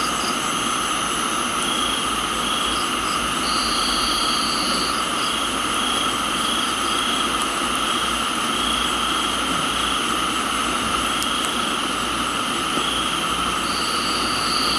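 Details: Rain falling on a tropical garden in Thailand, where crickets keep up a continuous shrill, tonal drone, broken by bursts of short, higher chirps and a longer buzzy note, all over an unbroken hiss of rain.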